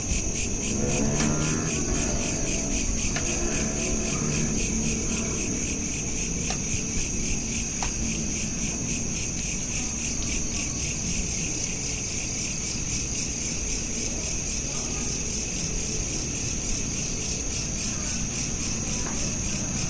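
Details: Crickets chirping at night, recorded on a smartphone: steady rapid pulsed trills in high bands stacked over one another, about 220 pulses a minute, over a low background rumble with a few faint clicks.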